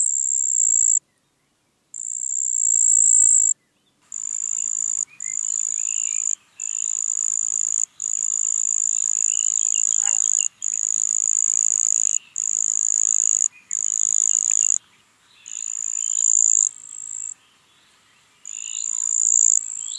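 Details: Marsh cricket song from Puntigam, Austria, 4 June 2022. Long, nearly continuous run of high, buzzing trills broken by brief pauses, with faint bird chirps in the background.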